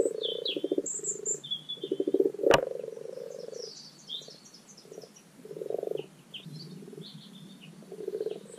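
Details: Common frogs calling in spring spawning season at a garden wildlife pond: low, purring croaks in short grating bursts, several overlapping, with bird chirps and whistles above and one sharp click.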